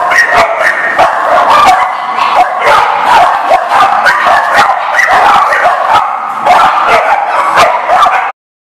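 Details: Several dogs barking together on 19 November 2018, with loud, rapid, overlapping barks and higher yips running continuously for about eight seconds before stopping abruptly into silence.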